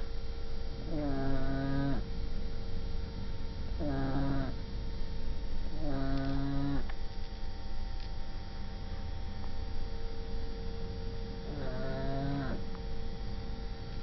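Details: Shar Pei named Coki snoring: four long, drawn-out rasping breaths roughly every three seconds, each a harmonic-rich rattling snore with a steady droning tone, over a constant low background hum.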